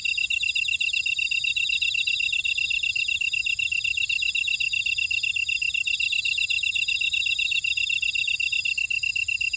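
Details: In a buckwheat field on Jeju, South Korea, at Oradong, many insects chirp at once: rapid, highly regular shrill pulses with overlapping higher trills, continuous and unchanging, no birds or voices.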